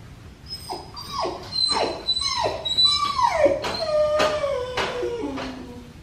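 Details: A black tri male puppy, neutered, whines while being bathed indoors: a run of high, sharply falling whimpers, nearly two a second, the later ones drawn out and sliding downward, with faint splashing behind.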